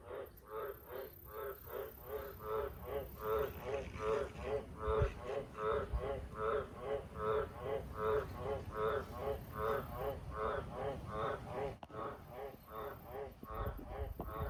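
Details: Very loud, steady chorus-like croaking of a wild Australian green tree frog at farm sheds at night: around thirty evenly spaced, buzzy, nasal pulses in a long regular run over a low rumbling background.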